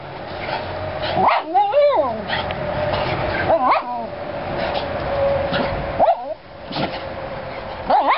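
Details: Dogs playing in a yard give sliding, whiny yelps and short barks in bursts every couple of seconds, over a steady background hum.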